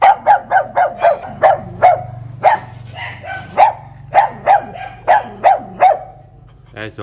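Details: Pug barking to guard the house: a newly gifted pet kept caged by the front door, not yet used to its new home, being teased. Sharp barks come in quick bursts, about fourteen in seven seconds, with short pauses and faint background voices.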